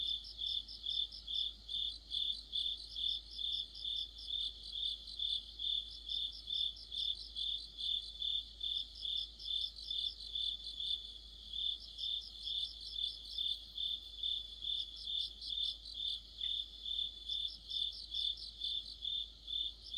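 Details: Crickets and other insects in a deepening mid-autumn chorus, with a streetlamp noted: a steady, high, shrill pulsed chirping in overlapping trains, about two pulses a second, with a fainter higher trill layered above and no other clear sounds.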